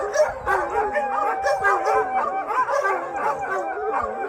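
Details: Hundreds of shelter dogs howl in unison after a thunderstorm, a thick tangle of sliding, wavering tones mixed with quick yelps and barks that never let up.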